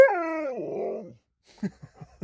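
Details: Sherpa the Alaskan Malamute, a pet dog playing with a phone and answering his owner, gives a drawn-out harmonic howl that slides downward and fades into a grumble, followed by a few soft clicks and taps.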